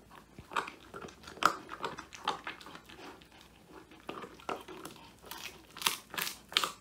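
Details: Male Old English Sheepdog Woody eats a handmade whole quail treat indoors, his first ever treat, recorded by phone; irregular crackling bites and crisp crunches, brighter and denser toward the end, over a low indoor hush.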